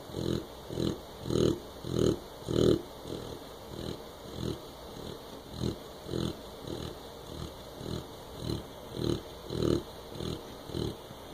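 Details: A sleeping Clumber Spaniel puppy snores steadily: soft, rough, breathy snorts about every half second, swelling and fading in rhythmic waves, with a faint steady background hum.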